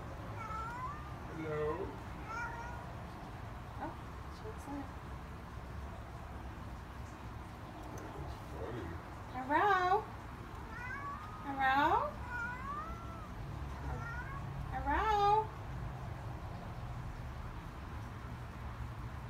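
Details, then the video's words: Princess, a talkative Siamese cat, greets with meows: a few soft wavering calls early on, then three louder, quavering meows near the tenth, twelfth and fifteenth seconds, with quiet room hum between them. "Princess sometimes says "hello""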